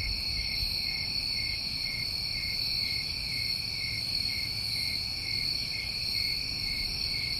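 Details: Crickets in New England summertime producing a sustained, high, ringing trill chorus without breaks, uniform in level, over quiet low-frequency background noise.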